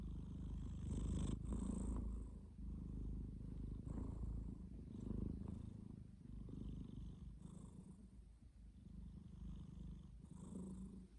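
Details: Sleeping domestic cat snoring continuously, a low throaty rumble that swells with each breath roughly every two seconds.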